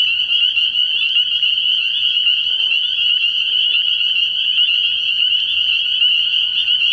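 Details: Night chorus of spring peepers at a frog pond in early spring; constant, piercing high-pitched peeping from many frogs forms an unbroken ringing wall of sound, with faint lower croaks now and then.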